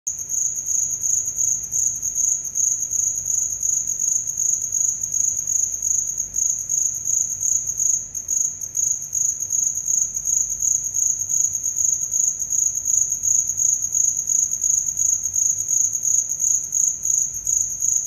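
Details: Cricket calling with a high, steady, rapidly pulsed trill that never breaks for the whole stretch, a shrill ringing buzz over faint low background hum.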